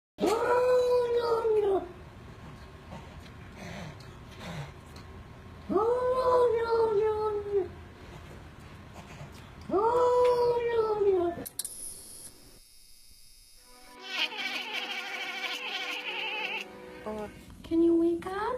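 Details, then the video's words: Domestic cat making odd, funny noises: three long drawn-out wailing meows, each rising then falling and lasting about two seconds, followed by a mix of higher squeaky sounds and other noise. "Funny Weird Cat Noises"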